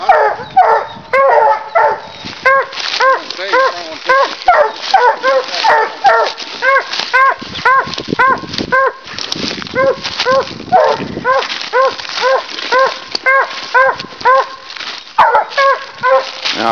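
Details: Two hunting dogs, a walker and a leopard hound, barking at a raccoon they have treed during a night hunt: loud ringing barks in rapid overlapping runs of about two per second, continuing steadily, with a man speaking faintly.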